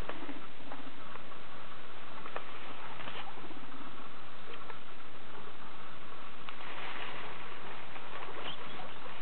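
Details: Six guinea pigs, Viola, Emanuel, Olava, Honoratus, Tøsen and Zebedæus, with three neutered boars among them, calling at dinner time when they fancy something good: short squeaks and chirps over busy rustling and pattering, with a louder burst near the end.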